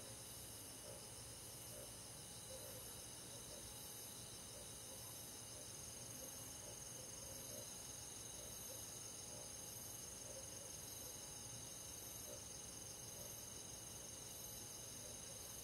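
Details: Crickets and other grass insects on a midsummer night in the countryside forest: a dense, steady chorus of high, rapidly pulsed trills, about three pulses a second, layered over constant faint hiss without pauses.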